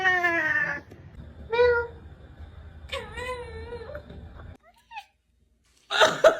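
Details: A pet cat making strange noises: a drawn-out falling meow, a short mid-pitched mew, then a wavering longer meow, followed by near silence and a burst of rustling noise at the end.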